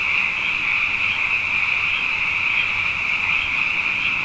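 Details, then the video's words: Many frogs singing at night following two wet years in a row, a continuous high ringing chorus of overlapping pulsed calls, unbroken and even in loudness. "Frog Songs: Na Mele o nā Paloka"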